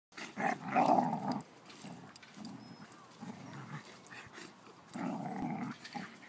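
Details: An Alaskan Malamute playing with another dog gives rough, throaty growls and grumbling vocalizations in bursts.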